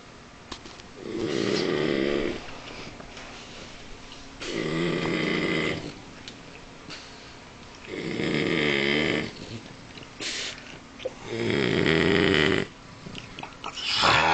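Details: A male French Bulldog snores loudly in long, rasping breaths repeated every few seconds; French Bulldog.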